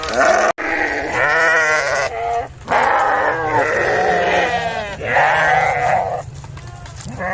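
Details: Sheep making a cute noise: a run of loud, wavering, harmonic bleats following one another with only brief pauses, a sharp click near the start.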